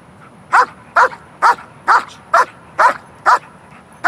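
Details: A protection-trained dog barks in a steady series, eight sharp barks about every half second, each bright and mid-pitched, against a quiet background during a training exercise on patience and control.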